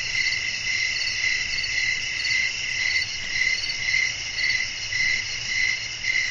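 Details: Crickets sing through a still night ambience meant for rest and sleep. A continuous shrill, pulsing trill repeats at an even pace of nearly two beats per second, with a quiet low murmur underneath.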